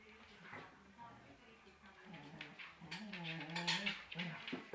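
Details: A female collie, who is raising a Chihuahua and missing her own puppies, gives a long, quavering whine whose pitch slides up and down in uneven waves, with a faint human voice and room noise behind.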